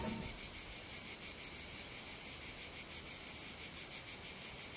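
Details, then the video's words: A cicada in the summer heat of the Calatrava hills, La Mancha, Spain, gives a steady, hissing high buzz that pulses about three times a second without a break. "cigarra pone banda sonora a la canícula en la Mancha"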